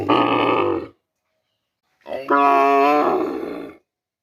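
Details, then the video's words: Two loud, drawn-out bovine moos, the first rough and throaty, the second smoother and more tonal, with a second of silence between them. "Cow Hamba Goru, Big Goru, Uploading Cow, Cow Videos, Cow Sound Effects Mooing Video"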